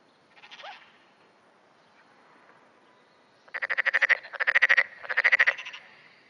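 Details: Black-spotted pond frog at dawn, June 2009, calling more often as nearby frogs join in. A faint call comes first, then three loud, rapid pulsed croaking bursts in quick succession, each like a coarse rattle.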